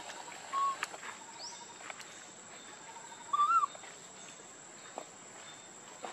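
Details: Hungry baby monkey Lucie begging for milk, crying and foaming at the mouth: two clear whistled cries, the first short and level, the second longer and wavering, about three seconds apart over a faint steady hiss.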